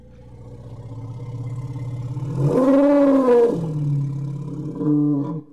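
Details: Elephant rumble swelling from a low growl into a louder, higher wavering roar-like cry, then sinking back to a low rumble with a short final surge.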